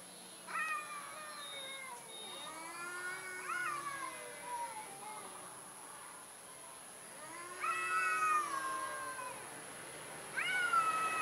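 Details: Quiet, thin meows from a timid orange cat, several short falling cries spaced a few seconds apart, with a steady high-pitched electronic whine running throughout.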